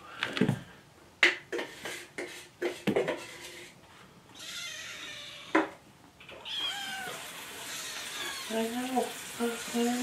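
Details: Morning feeding time for kittens Jugg, Anita and Ru: clicks, knocks and a man's voice first, then a run of short, insistent kitten meows repeated about every half second as they beg for food.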